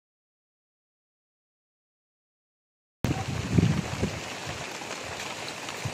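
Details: Three seconds of silence, then rough rumbling and splashing noise with no clear animal voice.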